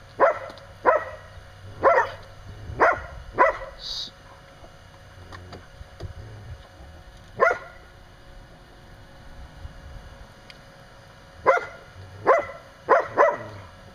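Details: Dog named Kasha barking while play-fighting with Kairos outside a pen where Mitsy plays with her six-week-old pups; sharp bark bursts in clusters, four early, one mid-clip, then four quick ones near the end, separated by quiet gaps.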